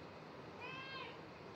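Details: Young male cat named Aoi (아오), tense after a vet visit, gives one short meow about half a second long with clear harmonic stripes, rising slightly and then falling, over steady background hiss.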